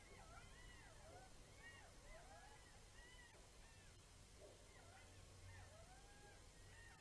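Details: Jackals howl together at night (21:27) on 6 March 2018 in Kulgur, Estonia, a faint chorus of overlapping wavering wails and yips.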